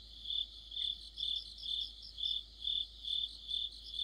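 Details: Crickets in mid-autumn give steady shrill chirps about twice a second, joined by softer higher trills from other insects, over faint low background noise.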